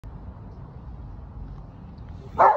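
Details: A Weimaraner, scared by someone, lets out a single sharp, startled bark after a stretch of quiet background hum.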